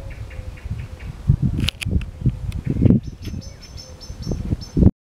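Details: A young hedgehog laps water from a drinking dish for minutes after eating, on the morning of 3 June 2023, in quick, soft, irregular wet clicks and smacks, with faint high chirps far behind.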